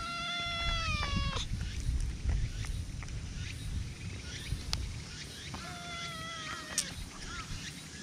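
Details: Friendly black cat in a park, affectionately seeking attention from a person, recorded with a GoPro: two drawn-out meows, the first falling at its end, the second a level, nasal cry, over low rumbling handling noise and outdoor background.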